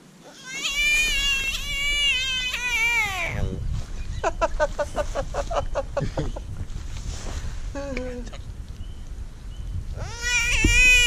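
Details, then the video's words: Screaming American bullfrog, hand-caught and handled during catch and release. A long, strained, cat-like wail slides downward and breaks off, followed by choppy, stuttering cries, then another rising wail, with people talking outdoors. "Screaming bullfrog"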